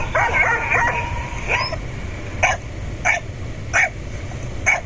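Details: Domestic dog barking to be let through a door, after a whining, harmonic opening second; then sharp single barks about every second, with a steady low hum underneath.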